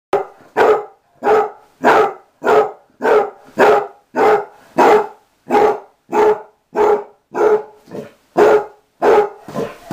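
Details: Mamie, a dog of about six or seven years and formerly an outside dog learning to live indoors, barks in a steady series of sharp, even barks, roughly one and a half per second, with quiet gaps between.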